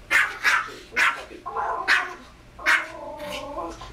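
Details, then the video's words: A pet Pomeranian barks at another Pomeranian barking on a screen: short, sharp yaps in quick bursts, five loud barks over four seconds, between lower, drawn-out vocal sounds and faint background voices. "Pomeranian barking at dog on tv"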